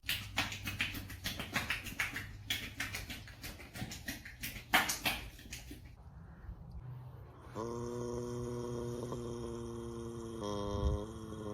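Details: A mare gives rapid, rough snorting puffs, then a long, steady, droning groan.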